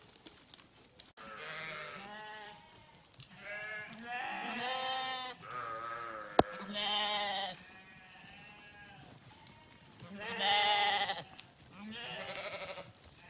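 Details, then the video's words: Several grazing farm sheep bleat in quick succession and overlapping, with quavering, nasal calls of varied pitch rising and falling across the whole stretch, and a sharp click partway through. "Sheep Sound"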